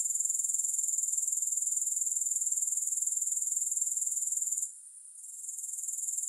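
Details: Grasshoppers in a three-hour sleep and relaxation recording without music: a high, shimmering insect trill of fast, even pulses that runs steadily, drops out briefly near the end, then returns more softly.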